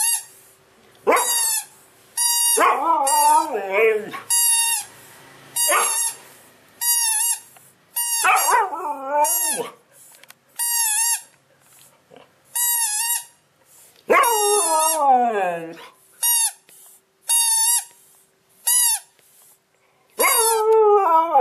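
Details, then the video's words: Siberian Husky named Nyockyee vocalizing in response to a tweeting sound: several long, wavering, yodel-like cries sliding up and down, set among regular bursts of short, bright, repeated chirping tones. "Funny behavior Husky From voice tweet"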